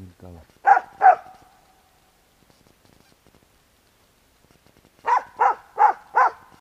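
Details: Dog Bek barks at a squirrel in a tree. A short human voice opens, then two loud barks, a quiet gap, and four evenly spaced barks in a steady run.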